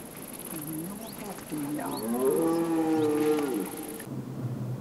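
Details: A red deer stag in the rut gives a drawn-out, moaning call that swells and wavers over a couple of seconds, heard from a viewing tower at Weerterbos on 27 September 2013, 19:00–19:30, during courtship before mating.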